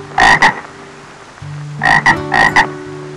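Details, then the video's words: Frog croaking: short paired double-pulsed croaks, one pair near the start and two pairs later, over a steady low hum. "2:21 Frog"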